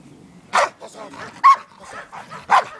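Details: Trained Belgian Malinois worked by a professional during a training session, giving three loud, sharp barks spaced about one second apart, with a handler's voice between them.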